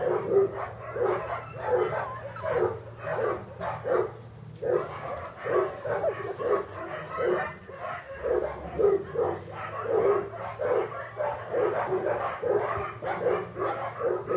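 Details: Kennel-bred English Cocker Spaniel puppies, born August 2011, crying in a sustained pulsing chorus of sharp yelps and thin whimpers, bursts recurring about twice a second with brief lulls, several puppies heard together above a low electrical hum.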